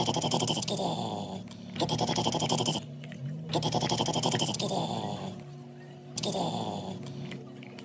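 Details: Baloo, a male Weimaraner born December 2020 and living in Oklahoma, gives four drawn-out, raspy, pulsing groans, each lasting about a second and separated by brief quiet gaps, in a small indoor room.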